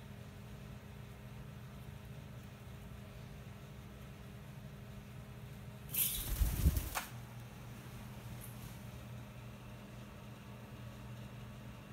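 A steady low room hum with one brief rustling thump midway and a faint click after; no animal calls.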